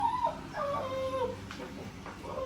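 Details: Pet poodle grows agitated while watching someone eat, giving a run of high, wavering whines that slide up and down, with a soft background hum.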